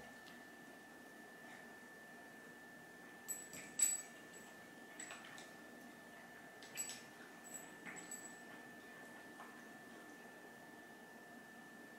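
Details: A quiet indoor room with a faint steady electrical whine and a few soft clicks and taps, with no animal call heard.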